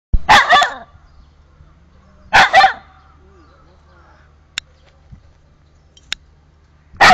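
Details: Dog in a park, excited at a cat that lives there, barking furiously: two harsh double barks about two seconds apart, then sharp clicks and a further bark at the end.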